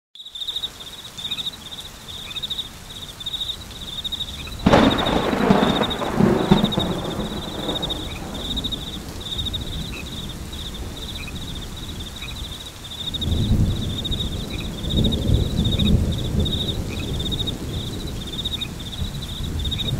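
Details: Crickets chirping in a steady high-pitched pulsed trill throughout, set against rain and rolling thunder that swells loudly near the middle and again toward the end.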